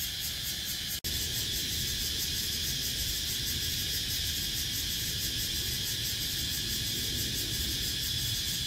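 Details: Cicadas recorded on 17 April 2023: a steady, dense, hissing buzz high in pitch with a fast pulsing shimmer. The sound drops out for an instant near the one-second mark, then resumes unchanged. A faint low rumble sits underneath.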